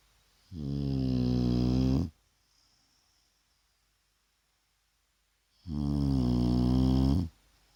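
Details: Shar Pei Vaya asleep indoors at midday rest, giving two strong, deep, vibrating snores about five seconds apart, each lasting around one and a half seconds, with near silence between.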